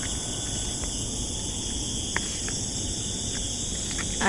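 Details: Crickets calling at night at Sabuj Dweep, Balagarh, Hooghly, around a tourism guesthouse where all else is quiet; a continuous high, shrill ringing drone holds steady throughout, with a few faint clicks and a soft low background hum.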